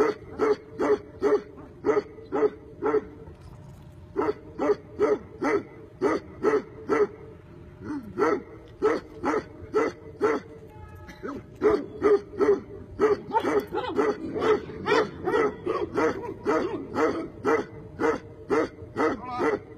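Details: Tibetan Mastiff giving long runs of rapid barks, over forty in total, grouped in bursts with brief pauses, quickening toward the end.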